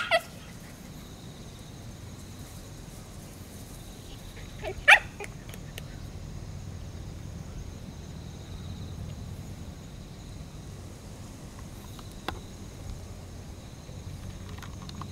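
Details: Shiba Inu mother dog barking at crows outdoors on a hot summer day, filmed 14 September 2017 during the puppies' outdoor play; a few sharp barks, loudest near the middle, over steady insect buzzing and low background hum.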